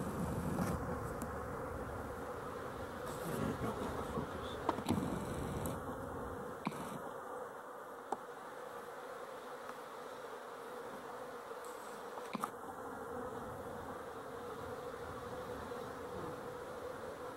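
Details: Honey bees hum steadily throughout on 12-11-23. Soft thumps appear in the first seven seconds, and faint high chirps occur near six to seven seconds and at thirteen seconds.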